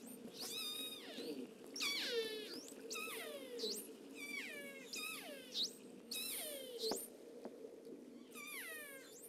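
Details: Killer whales in Avacha Gulf, Kamchatka, in the Russian Far East, give a rapid series of squealing underwater calls recorded by hydrophone, each bending sharply up or down in pitch; each pod has its own call dialect.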